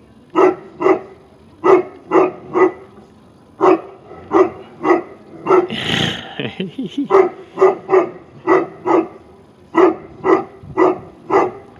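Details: Tibetan Mastiff at a St Petersburg kennel in Russia barking steadily in quick deep bursts, about twenty-five barks over twelve seconds, broken midway by a noisy rustle and a short growling stretch.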